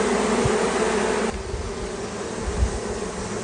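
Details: Honey bee swarm being caught in California: a dense, steady buzzing hum, loudest for the first second and a half, then softer with low thumps of handling.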